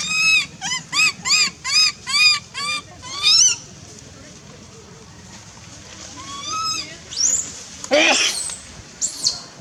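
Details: Baby monkey Lizza, wild in forest at Angkor Park, cries loudly for its mother out of hunger: seven rapid, evenly spaced arched wails open, then scattered cries and a sharp high squeal near the end.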